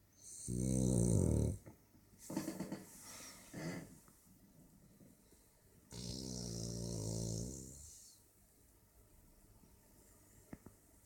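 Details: French Bulldog. A French Bulldog snores heavily, each drawn-in breath a coarse, low rattle lasting a second or two. Softer snuffling breaths fill the gaps between the louder snores in a quiet room.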